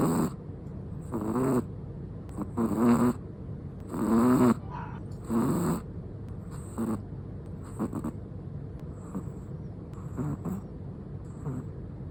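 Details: Black-and-tan long-coat Chihuahua asleep, giving a run of short rasping snores, quicker and uneven at first, with low buzzy wavering tones, then fading to softer, fainter breaths.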